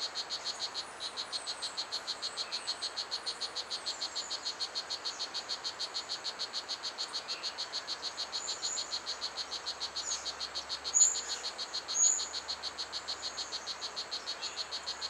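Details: Strawberry poison dart frog in a 3-hectare ecological garden, the smallest and loudest of its two dart frog species. Rapid, even chirp train of about four notes a second, with thin high bird whistles and two brief louder bursts near the end.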